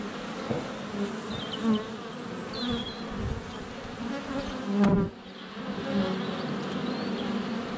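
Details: Steady honey bee buzz at the hive entrance, sunny February day, GoPro Hero 7 Black close to the hive; overlapping wingbeat drones with brief bird chirps early on and a sharp click near five seconds as a bee lands on the camera.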